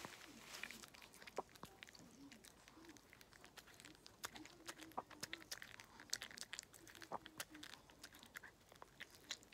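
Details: Walt the dog eating treats in a close-up Food ASMR recording: crisp, irregular crunches and wet clicks follow one another rapidly, with a faint low hum underneath in a quiet indoor room.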